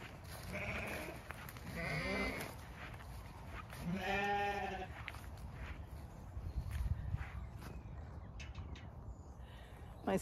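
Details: Zwartbles ewes on a regenerative farm in County Kilkenny, Ireland, on a misty winter day, bleating as the farmer returns after they finish eating: a few wavering harmonic bleats over rumbling background noise and rustling.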